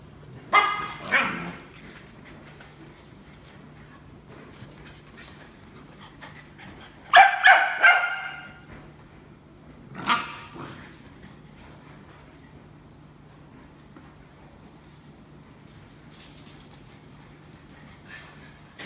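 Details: Rescue puppies from one litter give three short bursts of high yipping barks, with long quiet gaps and a steady low hum between them.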